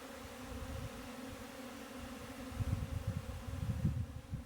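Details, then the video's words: Honey bees humming in a constant, unbroken drone, while low irregular thuds and rumbles grow louder in the last two seconds. "honey bee"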